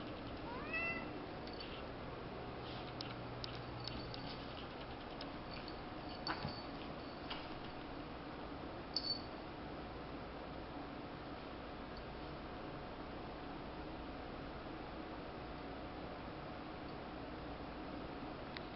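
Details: A part-Bengal cat named Wolf gives soft, brief meows, the clearest one near the start with a slight upward bend, over a constant low indoor electrical hum.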